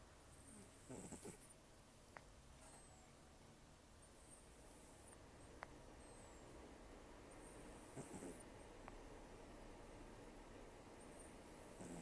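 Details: Heavy snoring from Taro, an elderly rescued cat taken in during October 2024 and known for rough snores and loud nose breathing, with a few soft rasping snore swells spaced several seconds apart over low, steady breathing.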